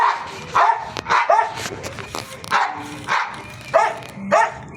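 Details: Series of short, mid-pitched dog barks, roughly eight over five seconds at an uneven rhythm, with some human voices faintly mixed in.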